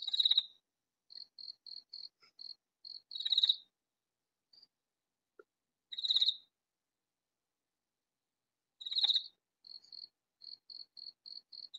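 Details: A katydid calls very loudly from a vegetable garden with harsh, raspy bursts about every three seconds, each followed by a run of quick, evenly spaced ticking pulses; otherwise quiet night.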